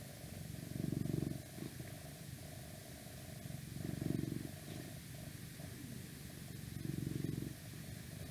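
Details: Domestic cat purring close to the microphone in an ASMR recording: a low, rumbling purr that swells into louder pulses about every three seconds, over a faint steady hum and some outside noise.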